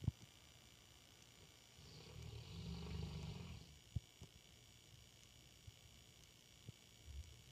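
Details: Female English Mastiff asleep in the dark beside a person, giving a soft, breathy, low snore that swells over about two seconds and fades, with occasional faint taps and clicks in a quiet room.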